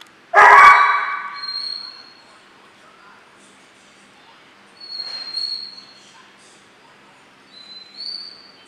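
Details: Single sharp bark from 12-week-old German Shorthaired Pointer puppies Memphis and Patty, in a ten-week training program, followed by long quiet with faint high whistled tones.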